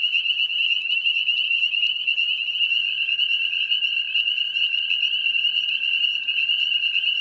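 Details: Breeding spring peepers call together near ponds and swamps. Their piping, shrill chorus stays high and constant, with scattered sharp clicks and a weaker lower tone beneath.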